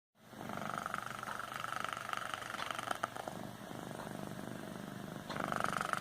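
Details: A pet cat snoring. A steady, rough, rasping rumble goes on throughout. It eases to a quieter stretch in the middle, then swells louder again near the end.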